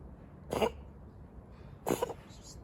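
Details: Kitten living on the street gives two short, harsh coughing bursts about a second and a half apart, each a sudden broadband rasp that fades quickly, over low steady outdoor background noise.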